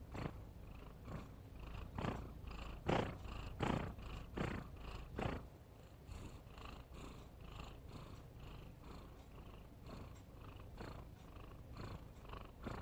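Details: Snoring house cat with steady raspy breaths roughly every second, loud and grainy for the first few seconds, then softer and more muffled toward the end.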